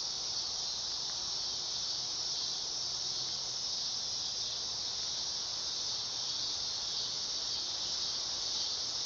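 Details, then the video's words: High, hissing electric drone of a dog-day cicada, sustained at constant pitch and loudness without pauses, alone against a quiet background. "Cicada sound / call / noise | Dog day"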